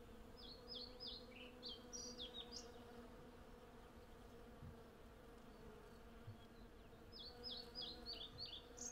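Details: Dense, continuous low hum of hundreds of honey bees collecting from cherry blossom, captured on a Zoom F6 with a Sennheiser MKH 8040 stereo pair; rapid high bird chirps and trills come in a cluster early on and again near the end.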